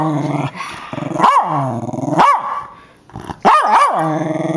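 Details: West Highland White Terrier reacting aggressively to a paper tube being spoken through, giving harmonic rising-falling growled barks in bursts, with a loud snarling bark pair near the end.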